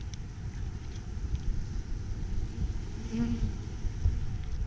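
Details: Honey bees around three Apimaye hives, one requeened with a marked green queen, another given a fifth chamber for honey late in the season; a steady low droning hum, with one bee's brief, clearer buzz passing close about three seconds in.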